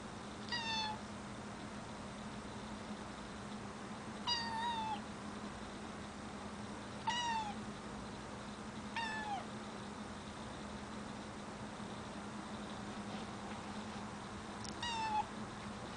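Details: A cat afraid of heights meows repeatedly, six short high meows spaced a few seconds apart, each sliding slightly downward, over a steady low hum in the background.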